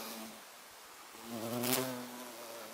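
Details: Violet carpenter bee (Xylocopa violacea) recorded on 24 September 2024, a low droning buzz rising in loudness mid-clip with a harmonic hum, briefly swelling as the bee passes close; faint background hiss.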